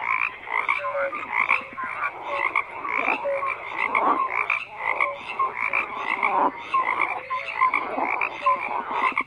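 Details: Chorus of many frogs croaking together, rapid overlapping rattling calls with brief clear tonal notes scattered through, a continuous layered din.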